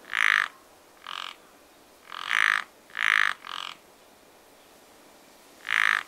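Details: Croaking frogs at a pond in springtime: loud, harsh, nasal croaks sound singly and in pairs, about six in all, separated by short silences, with a calm outdoor background.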